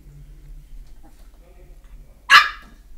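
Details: Chihuahua puppy, 13 weeks old, barking indoors at its own reflection in a mirror it has never seen before: one sharp, short, high bark bursts out near the end after a quiet stretch with faint low voices and room hum.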